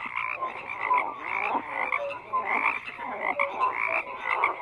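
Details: Frogs croaking together in a thick chorus, buzzy raspy calls layered with brief clear notes repeating roughly every second, steady background of calling animals throughout.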